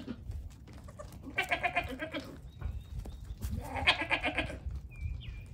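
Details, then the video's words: Newborn goat kids, one day to one week old, on a farm with fifteen babies born so far, crowding a camera while hopping and climbing; two loud, quavering, nasal bleats with a trembling pulsed quality, separated by shuffling and thumping sounds. "Baby goats clown for the camera!"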